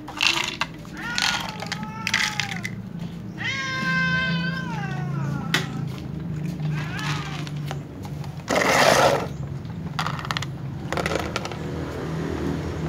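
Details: Domestic cats, including little ones, a tom, a ginger and a silver cat, give brief, plaintive meows at meal time. A longer, wavering cry sounds midway, mixed with clatter, rustling and background noise.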